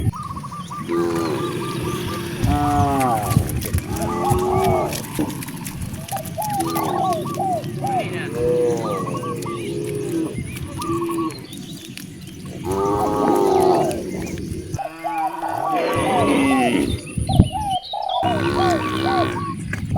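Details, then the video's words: Hungry cows mooing near vast rice fields in a village: a few drawn-out, wavering low moos rise and fall, mixed with steady repeated chirping of birds or fowl, voices and rustling background noise. "The sound of hungry cows mooing"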